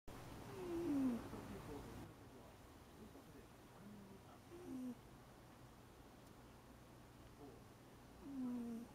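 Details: An eight-year-old American Shorthair cat sleeps soundly on a lap indoors, filmed on a Panasonic LUMIX DMC-TZ7. Low, short groaning snores with a falling pitch come about every three to four seconds in a quiet room.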